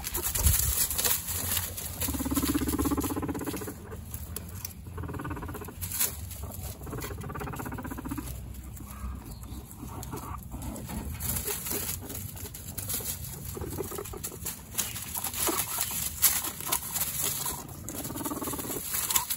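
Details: Two guinea pig brothers fight for dominance among a household herd of 29. Low buzzy rumbles near the floor of the range alternate with sharp rapid clicking bursts and scuffling, in irregular fast pulses throughout, with a steady high electrical whine behind.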